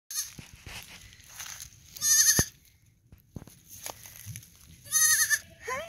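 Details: Three-day-old male fainting goat kid, very vocal, giving short harmonic-rich bleats around the second and fifth seconds, with quieter rustling and handling noises between calls.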